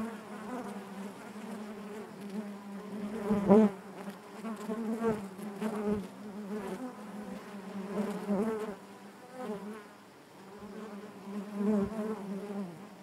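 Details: Continuous humming of many honey bees within the hive, a low, even drone layered with harmonics that pulses gently louder and softer throughout.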